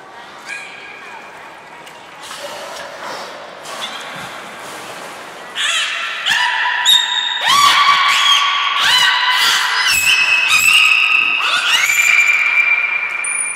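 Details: Training session with captive belugas Hodoi, Gray and Mirai at Port of Nagoya Public Aquarium, 1 December 2019: a quick run of bright upswept squeals and chirps, growing louder and denser, with faint voices and indoor echo.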